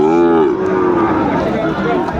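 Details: Sahiwal bull calves, about six months old, for sale at a Comilla cattle market in Bangladesh, 13 August 2024: a low, steady moo opens and slowly fades, while crowd noise and distant voices carry on.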